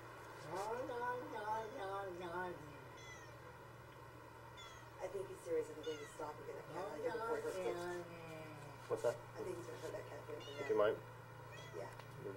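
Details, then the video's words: Domestic cat making a run of drawn-out, warbling meows and yowls that sound like speech, said to be saying "Oh Long Johnson"; the cries come in several bursts with short pauses between, and a steady low hum sits underneath. "Talking Cat Saying "Oh Long Johnson""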